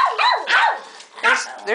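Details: Indoors among a group of pet dogs, Kipper among them, come quick sharp barks: three bursts in under two seconds, bright and yappy, with a person's voice close by asking what the barking is about.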